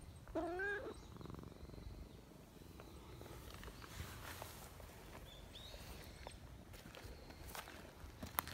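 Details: Chatty silver tabby community cat addressing a person hidden behind a bench; one short wavering meow at the start, followed by quiet outdoor rustling and faint clicks.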